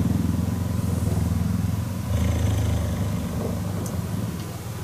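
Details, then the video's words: Cheetah purring while cuddling: a steady, deep rumbling vibration with fine rapid pulses, held almost unbroken through the clip, with faint rustling above. "Cheetah Cuddling & Purring"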